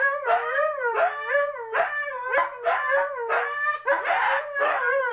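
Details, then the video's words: Two Siberian huskies egg each other on, trading bursts of wavering, yodel-like howls that each rise and fall about once a second. "Sabaka & Bear: the Howling"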